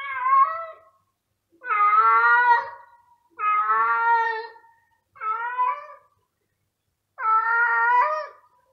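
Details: Male cat hunting everywhere for a female's scent, calling loudly: five long, harmonic, drawn-out meows, each about a second long, repeated at irregular intervals with brief silences between.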